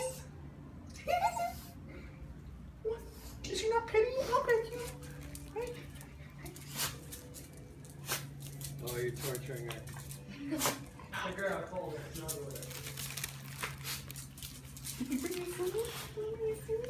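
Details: A female Shiba Inu, reunited with her owners after two weeks apart, greets them with high, quavering, wavering whines that rise and bend in short excited bursts, with people's voices and laughter underneath.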